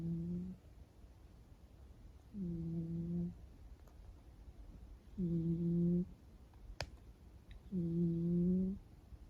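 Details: Sleeping kitten, a blue British Shorthair kept indoors, snoring: four low, tonal, humming snores, each about a second long, coming roughly every two and a half seconds, with quiet pauses and a faint click between them.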